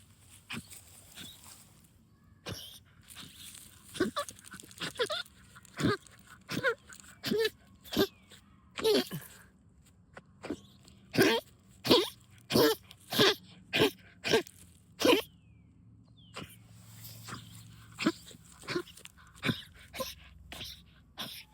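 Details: A dog digging for moles in backyard trenches, excited and honking like a goose: a long run of short, forceful nasal honks, irregular at first, then quicker and steadier, with occasional quiet human speech.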